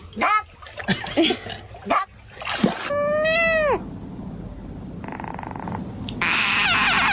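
A domestic cat gives a drawn-out, harmonic meow that falls away at the end, amid human voices.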